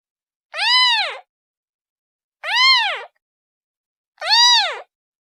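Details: Three plaintive meows from a kitten seeking its mother, each a bold rising-falling arch with layered harmonics, regularly spaced nearly two seconds apart, with silence between calls.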